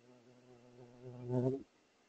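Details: A big bumblebee checks out a patio camera in spring (8 May 2023). The low, steady buzz of its wings grows louder as it approaches, then cuts off abruptly.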